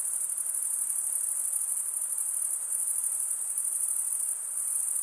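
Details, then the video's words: Chirping crickets, the sound made by wing stridulation. A continuous, very high, ringing trill hardly varies in loudness, with only a slight dip near the end, and nothing else is heard apart from low hiss. "Most relaxing cricket sound for 8 hours"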